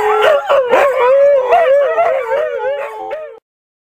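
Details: Six Siberian Huskies howling at the same time: overlapping wavering tones around a steady mid-pitched drone, with quick yips and rising-falling slides layered on top, ending abruptly after about three and a half seconds.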